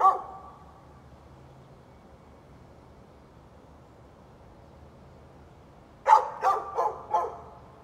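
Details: Neighbour's dog barking, recorded 13 November 2020; a long quiet stretch, then a quick burst of four sharp barks near the end.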